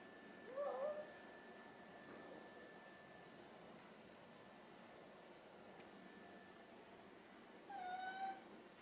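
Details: Two hungry pet cats, ginger tabby Chai and silver tabby Sushi, beg for food indoors before mealtime; two short meows with wavering harmonics, one near the start and one near the end, separated by a long quiet stretch with a steady hum.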